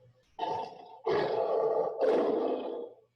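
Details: Lion growling, played in a classroom lesson on animal sounds to show how it warns animals that come near off its territory; three rough, harsh bursts of growling, each about a second long, with brief gaps between them.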